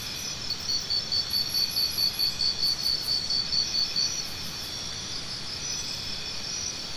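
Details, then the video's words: High, regular cricket chirps repeat quickly for roughly four seconds, then stop as a constant shimmering insect background carries on; offered as calming natural sound to help manage tinnitus. "Cricket Sounds"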